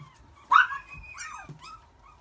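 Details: Long-coated Chihuahua puppy, a white and red male born 13 April 2018: one sharp high yip followed by thin whining squeals that slide downward, in a quiet room.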